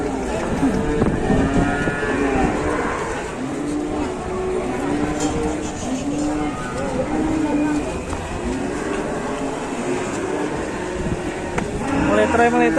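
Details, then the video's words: Agitated cow being unloaded from a truck in Indonesia, lowing in long, drawn-out moos with steady low harmonics, several in close succession, while people talk nearby and a vehicle rumbles in the background. "SAPI NGAMUK TURUN DARI TRUK"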